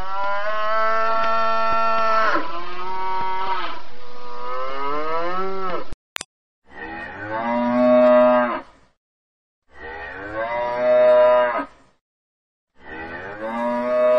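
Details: A long sustained cattle moo lasting about six seconds, then, after a sharp click, three shorter moos spaced about two seconds apart, each swelling and fading.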